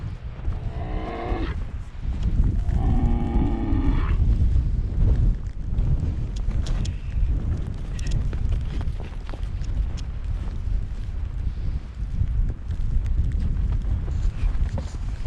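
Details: Scottish Highland cattle, free-ranging on a farm in Finland, in the last snowstorm of winter on 21 March 2021, coming to pasture hay bales, recorded with a GoPro. Two drawn-out harmonic moos in the first four seconds, then a steady roar of wind.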